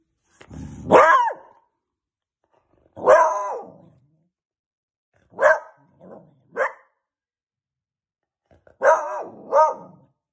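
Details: Beagle puppy playing with his toy, giving short, sharp barks with some growly edges, several in quick doubled pairs, separated by silent gaps of one to two seconds in a quiet room.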